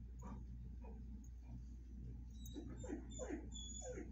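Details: Dogs Watson, a Bull Mastiff, and Penny, a Vizsla, greet a visiting friend. Soft yips are followed by a quick run of short, downward-sliding whimpers in the second half, over a low steady hum.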